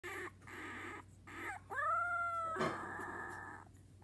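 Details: A female Corgi howls in drawn-out, wavering tones that swoop upward and hold.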